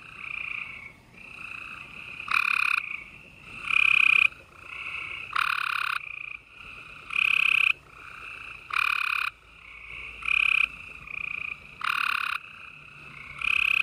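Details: Gray treefrogs calling at night in spring in Houston, Texas, April 28, 2020; several males give loud resonant trills about every one to two seconds, overlapping with a constant background of distant trilling.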